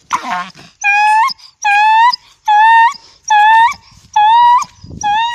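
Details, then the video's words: Dog howling in drawn-out tonal wails, each about half a second long and rising slightly at the end, repeated roughly once a second; a brief voice-like sound opens the sequence. "sounds of dog @@aaUUUU aaUUUU"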